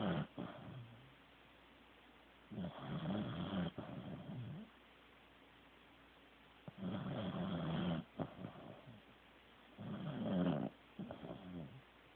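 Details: Deeply asleep Corgi named Teddy snores in steady cycles, a rasping low rumble roughly every three and a half seconds, each bout a second or so long with a trailing snort.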